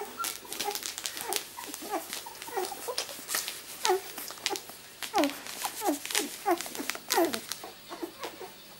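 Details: Rosie's miniature Labradoodle puppies, born 31 July 2009 and two weeks old, whimper indoors: a dense run of thin, wavering squeaks and whines from several pups overlaps with rustling and scrabbling.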